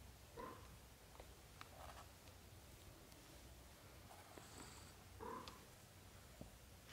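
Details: British Shorthair kittens during their first thirty days, living with their mother indoors. Two short, soft, harmonic mews about five seconds apart, with faint clicks and rustling in between over a quiet background hum.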